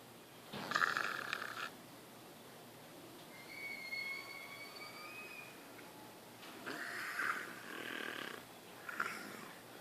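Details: Kiya, a deaf captive leopard at the Wildlife Survival Sanctuary in Spring Hill, Florida, snores while asleep because of breathing trouble: rasping snorts at intervals of a few seconds, with a faint whistling tone between them and soft human voice nearby.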